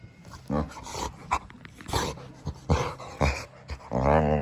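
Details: Boxer dog Samson making snuffling huffs and snorts in quick irregular bursts, ending on a short, high whining moan.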